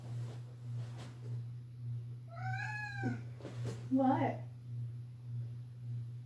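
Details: House cat meowing very loudly indoors, seemingly wanting someone to come downstairs with it; a single arched, wavering meow midway, followed by a person's voice, with constant low hum throughout.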